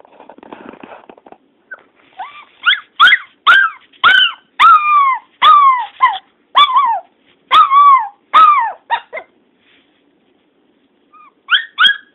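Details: Pet dog that barks and howls when he cannot see the owner's sister, missing her: a run of about a dozen sharp, high, yelping barks with falling tails, roughly one per half second, after a brief rustle, then two more yelps near the end.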